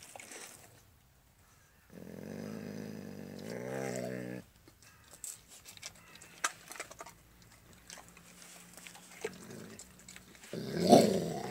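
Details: Max, a pet Alaskan Malamute, growls over a raw bone: one sustained low harmonic growl of about two and a half seconds, then wet chewing, gnawing and faint clicks, ending in a louder brief rumble.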